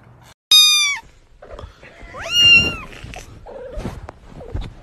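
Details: Domestic cat from a funny pet compilation giving two loud, high-pitched meows that slide downward, the first short and sharp, the second longer, followed by softer scattered sounds and clicks.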